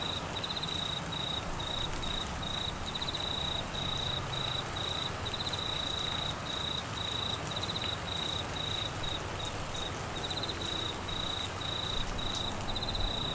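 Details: Crickets calling during Australian monsoon season rain in Queensland amid flooding: high, steady pulsed trills repeat in short bursts throughout, layered over the continuous hiss of heavy rainfall.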